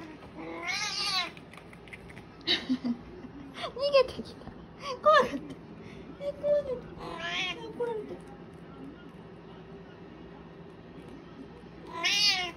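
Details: Cat holding a kitten down in Japan, several wavering meows spaced across the recording, with a person's voice and short sounds mixed in, a final loud meow at the end.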